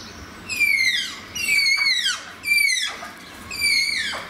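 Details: Malayan tapirs in their enclosure at Zoo Antwerpen give shrill harmonic whistles, four in a row roughly one per second, each starting high, holding briefly, then dropping steeply at the end.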